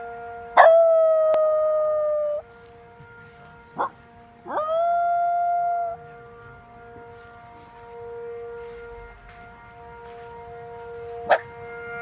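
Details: A pet Shiba Inu howls in answer to a monthly siren test: two long, steady, tonal howls, the second rising into a held note, over the siren's constant drone.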